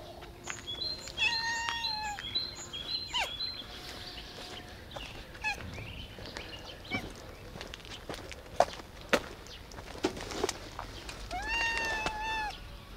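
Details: Black cat, likened to a sweet bun, gives a drawn-out meow early on and another near the end, each a clear falling harmonic cry, while birds chirp and twitter throughout against faint outdoor background noise.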